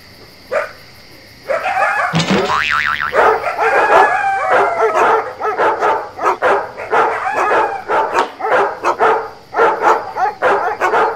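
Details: Domestic dogs barking on a ranch, with coyotes yipping nearby: rapid sharp barks and high yips, some rising and falling wavering howls early on, repeated in quick irregular bursts over a steady faint hum.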